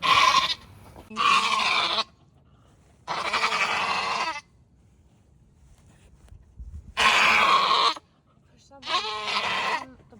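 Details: Nigerian Dwarf doe Maggie straining in her first labour on a Northern California dairy goat farm, birthing twins: five raw, buzzy bleats, some short, some held for over a second, separated by quiet pauses.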